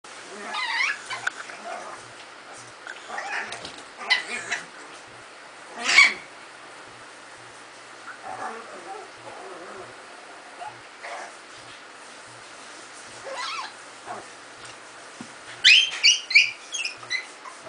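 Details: Afghan Hound and Miniature Pinscher puppies play, giving scattered yips, snuffles and short whines, with a burst of high yelping near the end; dogs.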